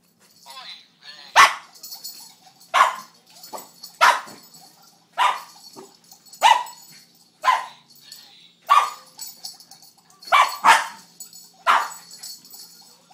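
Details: Young neighbour dog barking while playing with a stuffed fish toy, alternating between fear and anger; sharp barks repeat roughly every second or so, with a woman talking softly in between.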